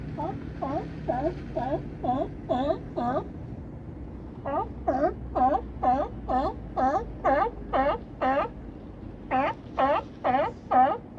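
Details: At Crescent City harbor, with Battery Point lighthouse beyond, California sea lions bark in rapid series: a run of five honks, a short pause, then a long string of about twenty raspy barks, some overlapping.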